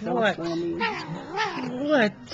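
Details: Domestic cat talking back to its owner, giving a string of drawn-out, wavering meows that rise and fall, several in a row with short breaks between them.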